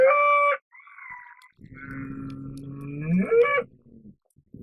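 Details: A bull's call opens with a short, loud harmonic note and a softer wavering tone. A long, low rumbling bellow follows, rising sharply at its close before falling silent.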